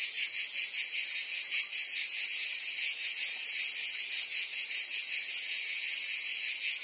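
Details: In summer in Provence, France, many cicadas sing together: a piercing, sustained buzz with a rapid throbbing pulse and no other noises.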